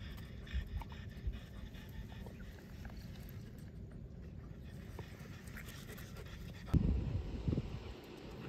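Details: French Bulldogs, a parent and offspring pair (Ume, 5, and Roku, 4), walking at Miharu Dam in Japan. Steady soft panting rides over a low rumbling background, with a sharper, louder burst of breathy noise near the end.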